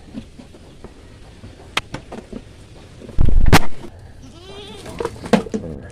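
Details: A farm goat being given vitamin B complex gives a short, wavering bleat just after a loud burst of handling noise, with faint chirping and clucking in the background.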